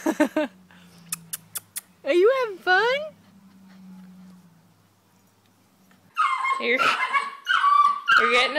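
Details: Bernese Mountain Dog puppy at play, giving a few short yips, then two drawn-out whines that rise and fall in wavering arcs, followed by a woman's excited praise and chatter.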